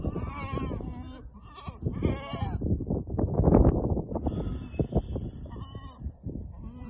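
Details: Several goats at Al-Summan, a herd of six with the billy plus seven kids, bleat in wavering, nasal bursts, a loud one near the start and more near the end, over steady wind and rustling.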